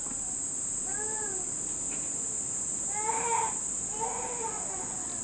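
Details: Cicada calling at a home in Nishinomiya, Japan, the first heard this summer, near the end of the rainy season: a steady, unbroken high-pitched hiss runs throughout, overlaid by a baby's loud crying wails.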